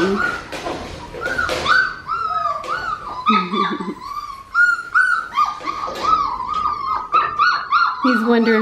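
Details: Crying Australian Shepherd puppies keep up a dense run of high, bending whimpers and yips, many overlapping, while a person speaks softly in between.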